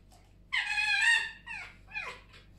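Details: Pet fox kept indoors by a fireplace on a morning, curious about a toothbrush, giving one loud drawn-out high whine followed by two shorter descending whimpers, in a quiet room.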